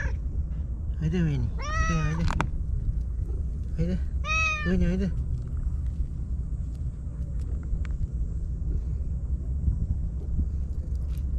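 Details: Stray white cat Shiro, living alone among breakwater tetrapods in Japan, greets a visitor with enthusiasm: a rising-then-falling meow, then a second shorter, bright meow, over constant low background rumble and some nearby human voice.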